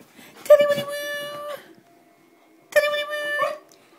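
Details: Collie dog singing along to her favourite tune indoors: two drawn-out, steady-pitched howls, each about a second long, with a pause between, richly harmonic and clear against a quiet room.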